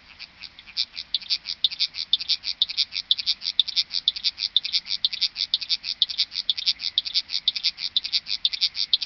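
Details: Long-winged Conehead (Conocephalus fuscus) gives a steady, high-pitched buzzing song of rapid, evenly repeated pulses, recorded at sites that include Dreezsee, Germany (21 Aug 2020, sunset), among other sites and dates; Long-winged Conehead.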